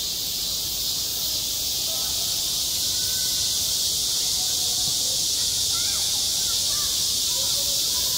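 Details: On a summer school playground, cicadas produce an even, high-pitched hissing drone throughout, with faint scattered chirpy tones and distant voices underneath.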